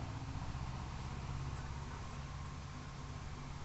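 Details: Steady low engine-like rumble with broadband noise fills the short recording, and no animal voice is heard.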